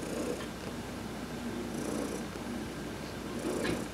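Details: Adopted cat Heidi gets a massage while sunbathing, November 19, 2020, and purrs continuously: a grainy low drone rising and falling in breath-paced waves, about two swells over four seconds.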